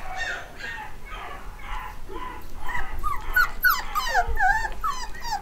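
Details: Black and white Cockapoo puppies, eight weeks old and home bred, from a new litter of boys and girls; several high whimpers and yips repeat rapidly, rising and falling in pitch, growing louder and more overlapping toward the end.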